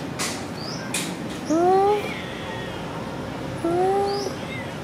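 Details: Adorable cat Sona after food, two rising meows about two seconds apart, each under a second long, over low background noise with a few sharp knocks at the start.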